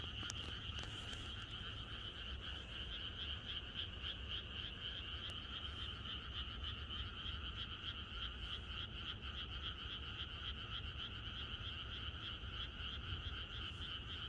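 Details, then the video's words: Chorus of many frogs in the countryside on the night before rain, a dense continuous croaking with bands of sound pulsing roughly four times a second, steady throughout with a low rumble beneath. "개구리들의 합창"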